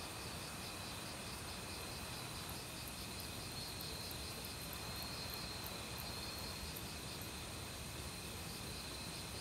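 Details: Autumn crickets calling in a forest alongside various other insects, recorded without professional equipment: steady pulsed high trills and a continuous shrill band run throughout, layered over the broad rushing of a mountain stream.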